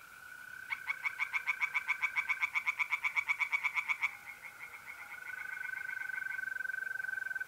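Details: North-east Italy, mid-April, night: pond tree frogs let out a loud, rapid train of pulsed croaks lasting some three seconds, with mole crickets keeping up an even, unbroken trill beneath and after.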